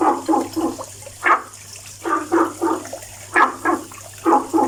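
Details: A frog that calls every day gives short, hollow croaks in quick clusters of two or three, each cluster about a second apart, over a steady low electrical hum.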